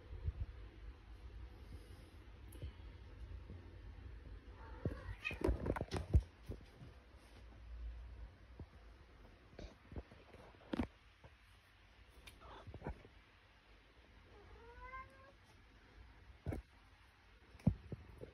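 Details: Scamp the cat resting on a cat tower indoors gives one short, rising meow with clear harmonics late in the clip. Scattered clicks, soft thumps and low room rumble surround it.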